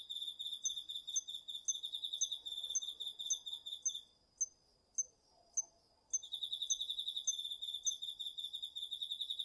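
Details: Autumn night insects, crickets among them, in a garden field in Japan, recorded on a DR-40X; steady high pulsed trilling stops briefly, leaving a few isolated sharp chirps, then resumes.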